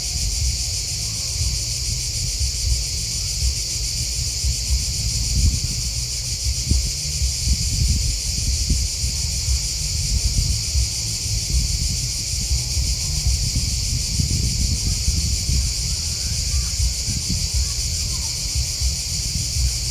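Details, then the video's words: Steady chirping of many crickets forms a continuous, finely pulsed high chorus that holds level throughout, over a constant low rustle and rumble. "Crickets Chirping Sound"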